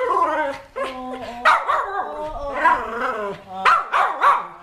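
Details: Dog in Thailand that missed its returning owner for almost two years, making continuous warbling, speech-like howls and whines that bend up and down in pitch, several loud bursts, with people talking around.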